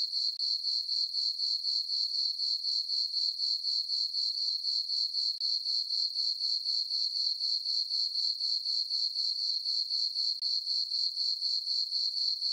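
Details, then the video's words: Crickets chirping on a peaceful summer night in a farm meadow under a full moon: a steady, high-pitched pulsing trill, about four chirps each second, very regular and unbroken, with no other sounds. "Cricket chirping sounds for sleeping"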